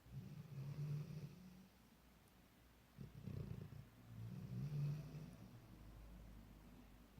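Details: Sleeping Labrador Retriever pup, ten months old, settled in for the night; soft, low snores in two or three rumbling bursts separated by quiet gaps.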